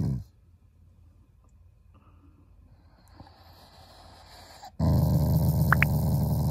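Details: Shiba Inu growling in play as a show of fondness for its owners. Long quiet stretch with faint rustles and soft noises, then a sudden loud, low, pulsing growl bursts in for the final two seconds.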